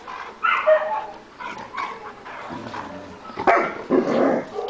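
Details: Rescue German Shepherds at Coastal German Shepherd Rescue OC giving a volley of high, harmonic yelping barks that come in uneven bursts, ending in a loud cluster of overlapping barks.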